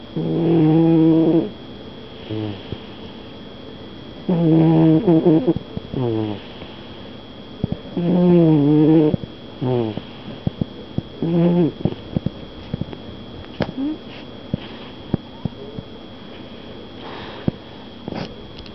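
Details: A snoring house cat gives rasping, harmonic snores at intervals of about four seconds. Scattered light clicks and taps follow in the second half.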